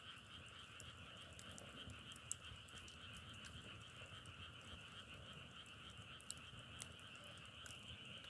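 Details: A massed chorus of frogs hums on unbroken, high and middle buzzing tones, while irregular crackles and pops, as of firewood burning, cut through now and then.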